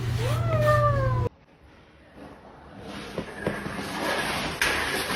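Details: Domestic cat in a compilation of funny cat moments: one drawn-out meow lasting about a second, rising at first and then holding steady, cut off abruptly and followed by quiet room noise and faint clicks.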